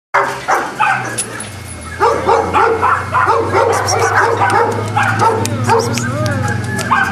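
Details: Boston Terriers at a kennel in Jamundí near Cali, Colombia, barking in a dense, overlapping chorus of sharp yaps and barks, several dogs calling at once with little pause, a faint high tone running underneath.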